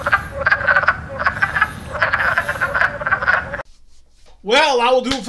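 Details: Spring wood frogs, the loudest frogs at this time, croaking with inflated sacs near the lungs; quick overlapping clucks for over three seconds, then an abrupt near-silence, followed by an unrelated wavering tonal sound at the end.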